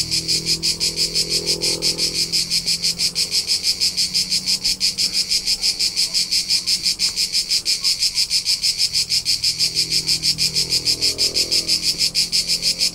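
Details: Crickets in summer on Tuscan hillsides, central Italy. A loud, high, buzzy chirp throbs in a regular beat of about three pulses per second, with gentle low background rumble at times.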